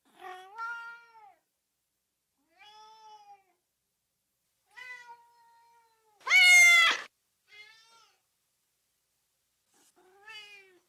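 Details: Cat meows played to rouse dogs: a run of moderate meows, some long and flat, one sudden loud, harsh, high meow in the middle, then softer short calls trailing off.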